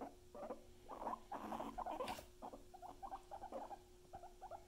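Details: Pet guinea pigs Luna and Chip give rapid bursts of short, mid-pitched squeaks and chirps, clustered unevenly over a few seconds with brief pauses, against a steady low electrical hum.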